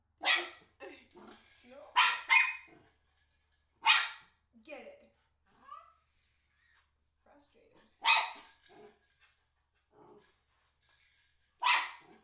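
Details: Eight-month-old miniature schnauzer excited by a ball, with a person urging it on: sharp single barks spaced a few seconds apart, some followed by short softer yelps, amid encouraging speech.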